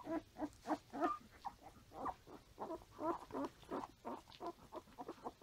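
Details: Standard Poodle puppies, five days old, suckling from their mother and crawling around, filmed 6/8/14; a steady stream of short nasal grunts and squeaks, roughly three per second, with uneven loudness throughout.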